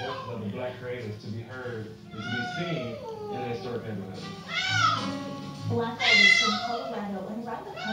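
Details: A 7-month-old blue-eyed white Persian kitten cries non-stop for its absent owner, puppy-like, in high, drawn-out wails that arch up and fall away, with voices and music behind, in a Denver hotel.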